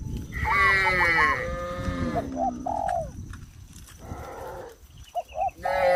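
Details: Cows on a traditional village farm, jumping off a sidewalk down into the fields; one drawn-out, wavering moo early on, then softer cooing and short whistled bird notes fill the rest.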